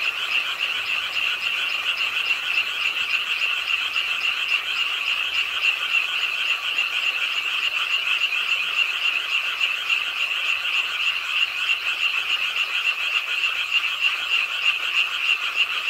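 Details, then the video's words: Frogs croaking at a pond side in Suwon's Ingye Art Park on a rainy late night; a dense, continuous chorus of rapid, high-pitched trilling pulses overlapping without pause, steady in loudness throughout. "비오는 밤 개구리소리, Do you hear the frogs? 비오는 밤 공원 연못 추억의 개구리 소리, Frog Sounds, 빗소리와 함께 듣는 개구리 우는 소리"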